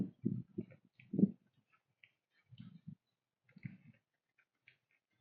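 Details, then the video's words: Whitetail doe and her fawn eating a pile of corn on a woodland trail at sunrise in fall: loud, low crunching chews in quick bursts over the first second, then further bouts near three and four seconds, with faint bird chirps above. "Whitetail Doe & Fawn Eat Corn at Sunrise"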